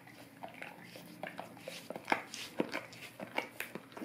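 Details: Golden Retriever licking an Orapup tongue cleaning brush indoors: wet, smacking tongue clicks in quick irregular bursts, about two per second, getting louder toward the end in a quiet small room.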